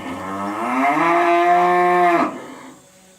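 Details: Sick cow that has already been injected, giving an odd, strained moo that rises then holds steady for about two seconds before cutting off abruptly, with a quiet room afterwards.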